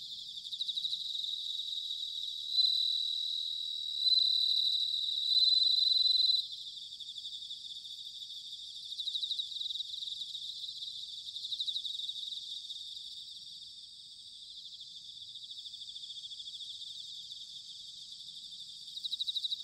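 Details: Bell crickets singing in autumn, recorded at Sanuki, Chiba, Japan: a dense high chorus of ringing trills, with one clearer, louder bell-like tone standing out for several seconds near the start before the steady background chorus resumes.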